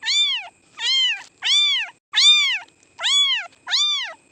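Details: Cats and kittens meowing: six high, arched meows in quick succession, each about half a second long and rising then falling, with a faint background tone.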